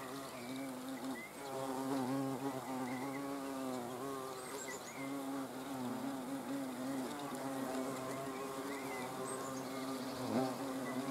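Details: Hornets filmed on 30 June 2020, giving a steady droning buzz with stacked harmonics around a low fundamental, pitch wavering as individuals fly about; faint chirps of small birds in the background.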